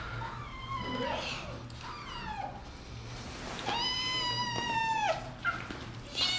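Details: Kittens meowing indoors while playfully attacking a person; several drawn-out, falling mews follow one another, the last one longer and louder, with a low steady hum behind.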